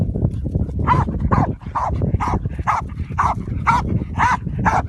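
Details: Croatian Sheepdog barking: a run of about eight sharp, even barks spaced roughly every half second, each a short bright burst, over a steady low background rumble.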